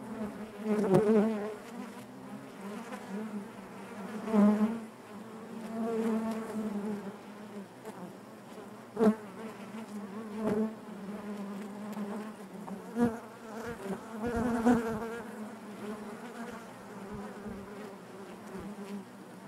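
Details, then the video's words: Inside a honey bee hive, a continuous low buzzing hum with wavering harmonics, punctuated by brief louder buzzes and soft clicks as bees move near. "bees therapy hive natural buzzing sound"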